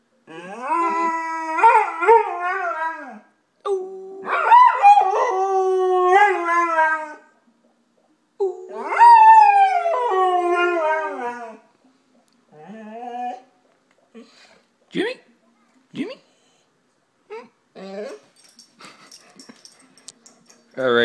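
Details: A golden retriever howls in long, wavering, rising and falling notes, like a human speaking, trailing off into short whimpers.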